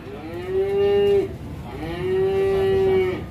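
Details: Cow caught or stuck and weak, mooing twice: long, steady, nasal calls of over a second each, the second one longer, separated by a short pause.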